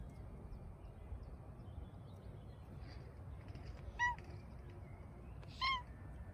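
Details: Brownie, a Bengal cat, in hot weather, gives two short, clear meows about a second and a half apart, each a brief rising-then-falling harmonic cry over a steady low rumble of background noise.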